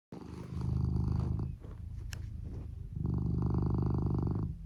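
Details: Lou, a male red tabby and white Norwegian Forest Cat born January 2015, snores while sleeping soundly after burrowing under a futon, volume boosted: low rumbling bursts on each breath, loud for over a second, a softer stretch, then loud again.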